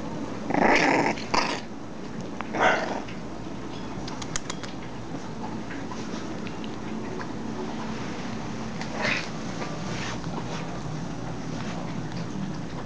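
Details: Bulldog C-Jey fighting a curtain: a few short, rough growling barks burst out near the start and again around the third second, followed by quieter scuffling over a steady low background hum.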